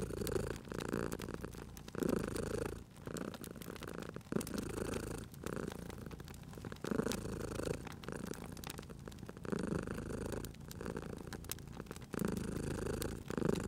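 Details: Low, continuous purring from a cute sleeping cat at a fireplace, pulsing with each inhale and exhale roughly every one and a half seconds, while the fire crackles with frequent dry clicks and pops.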